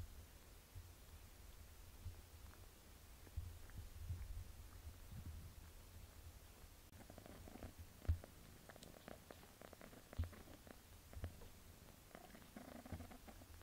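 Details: Mother cat Melania bathing her young kitten daughter Pinky: a low, steady purring rumble runs throughout, with soft licking clicks and rustling fur sounds growing busier in the second half.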